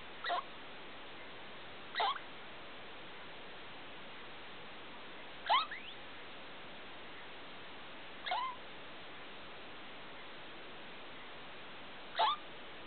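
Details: Pet degu Felica makes strange night sounds at 2 a.m. with the big light on: five brief upward-sweeping squeaks spaced two to three seconds apart against a quiet indoor background.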